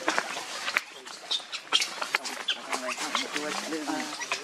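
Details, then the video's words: Hungry baby monkey Lucie crying for milk, with short, harmonic whimpers that quaver and repeat quickly near the end, over clicks, rustling and background chirps. "Lucie Very Pitiful Need Milk Crying foaming At The Mouth I Lovely Baby Monkey"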